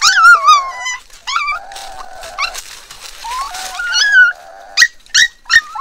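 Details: Four black puppies found at the bottom of a dry well cry out, with high, wavering whimpers sliding up and down, short yelps and squeaky cries overlapping from several pups, ending in three sharp yips.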